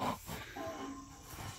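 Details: Young rhino calves Peter and Bula backchat their keeper during the morning milk feed; one drawn-out, steady, high whining squeal in mid-clip, with soft rumbling background.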